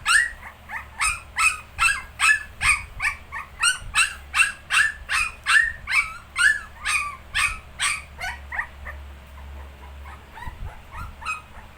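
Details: Nineteen-day-old Shih Tzu puppies give a fast run of high, squeaky yips and whimpers, about two or three a second for eight seconds, then fading to scattered faint squeaks.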